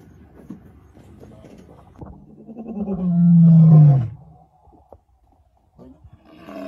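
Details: A male lion in Kruger National Park gives one deep, moaning roar that swells in loudness and then drops in pitch, on 18 July 2024.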